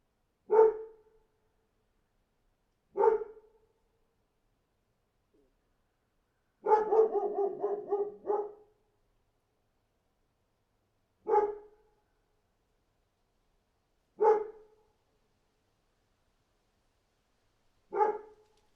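A dog barks in single sharp woofs every few seconds, with one quick burst of rapid barking.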